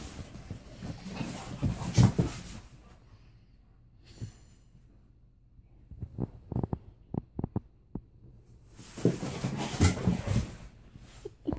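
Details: Alaskan Malamute indoors, teasing a pit bull with a toy during play; bursts of low, rough grumbling growls and huffing breaths at the start and end, with a quieter stretch of short clicks and scuffles between.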